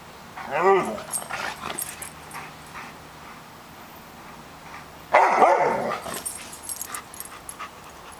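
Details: Greater Swiss Mountain Dog barking to keep squirrels out of the yard and up in the trees; a loud bark burst near the start, then another strong burst about five seconds later, quieter outdoor background between.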